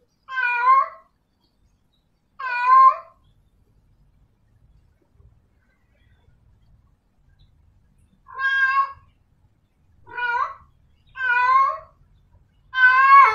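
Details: Domestic she-cat in heat summoning a male, giving plaintive harmonic meows that rise then fall, two early, then a pause of about five seconds before four more in quicker succession, the last loudest; otherwise quiet.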